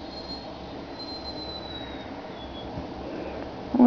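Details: A steady low rumble with a faint high squeal, like a passing train, and a sharp bump right at the end; no animal voice.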